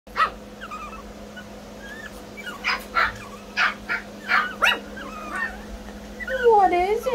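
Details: Brussels Griffon puppies yapping: a quick run of sharp, uneven yips, then a wavering, rising-and-falling whine near the end, over a steady low indoor hum with a person's voice nearby.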